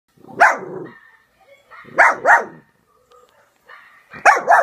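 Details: Peanut, a female pet dog, barks while watching videos of other dogs on a laptop: a single sharp bark, then two quick double barks about two seconds apart, with faint tonal sounds from the laptop between them.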